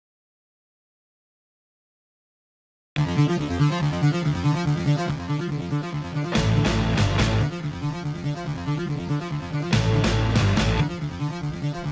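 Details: Three seconds of silence give way to loud electronic synthesizer music with a driving beat and keyboard notes; no animal sound is heard.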